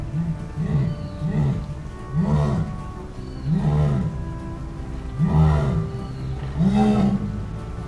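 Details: A jaguar, the largest cat of the Americas and still found in Latin America including Brazil, gives deep, rasping grunts in a steady series, each about a second apart.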